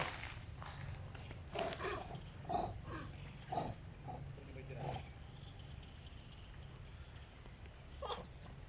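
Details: Little monkey crying very loudly during a fight between two monkey groups, heard outdoors: a run of harsh, broadband screeching bursts spaced about a second apart, then quieter, with one more short shriek near the end over steady low background noise.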